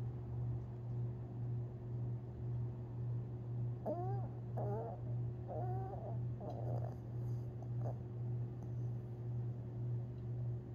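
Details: Long-haired Chihuahua Tinkerbell dreaming in her sleep, April 17, 2021: a string of short, muffled yips and squeaks over about four seconds, each brief and bent in pitch, above a continuous low droning hum.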